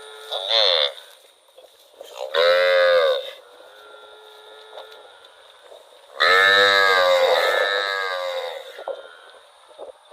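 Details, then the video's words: A cow wandering in rural rice fields gives a short call, then a moo of about a second, then a longer moo of over two seconds that falls and tails off. The moos are separated by quiet gaps. "Cute cow wandering in rural rice fields - Funny cow sound"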